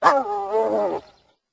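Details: Hyena making one short, loud, harmonically rich call lasting about a second, wavering slightly in pitch before cutting off abruptly.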